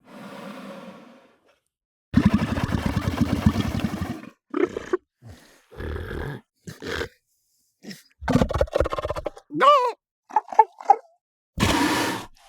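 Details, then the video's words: Southern elephant seals recorded close up in the sub-Antarctic: a long, harsh low bellow lasting about two seconds, then a run of shorter grunts and higher wavering cries, ending in a rough burst. "Southern Elephant Seals"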